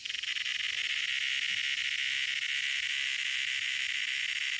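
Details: Cicada making a loud noise: a steady, harsh, unbroken buzzing drone, shrill and continuous throughout with no pauses.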